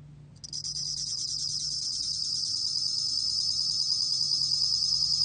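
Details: High, ringing bell cricket trill from the National Institute of Biological Resources, 2020, starting suddenly after a quiet moment and carrying on as a rapid, shimmering pulse over a low background hum.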